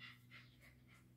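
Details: Cleo, a 10-week-old female Labrador Retriever puppy in training, pants softly and quickly: breathy bursts about three per second over a steady low electrical hum.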